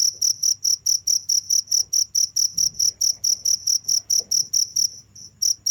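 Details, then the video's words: Crickets chirping steadily without stopping, a rapid run of short high-pitched pulses repeated about twice a second, with a brief pause near the end; faint low hum beneath. "without stopping the sound of crickets for 15 minutes"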